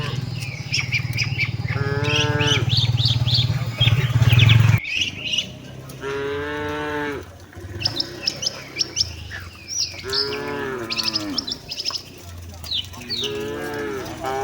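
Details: Tame cattle walking with their herd toward the shed: three long harmonic moos, each about a second, with a low rumbling engine-like drone in the first five seconds and many small birds chirping throughout.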